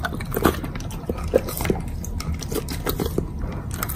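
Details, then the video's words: Bacon being bitten and chewed by a Doberman, captured up close as eating ASMR. Soft, low, wet munching with a few sharper bite clicks, irregularly spaced. "Dog Food ASMR 総合フードからのベーコンの山"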